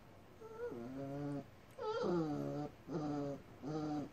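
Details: Dogs at the first meeting of Ddaeng Chil, a Rottweiler, and Gom-E, a Jindo mix puppy, in Jeju-do, South Korea, on 9 October 2015: four short whines, each sliding downward from a higher start to a lower held tone, indoors.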